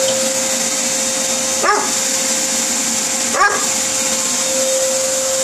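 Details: Gordon Setter that dislikes vacuums, barking at a running vacuum cleaner indoors: two short, sharp yelping barks about 1.7 seconds apart, half-buried under the loud, constant whine of the vacuum.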